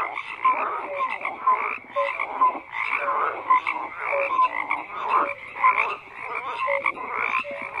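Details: Rhythmic frog chorus, croaks pulsing in waves roughly every half second, with paired short tonal notes repeating through the clip.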